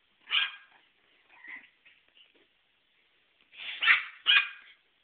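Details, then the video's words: Dog recorded on a mobile phone, barking: one loud bark, a few softer short yips, then two forceful barks in quick succession near the end. "barking dog"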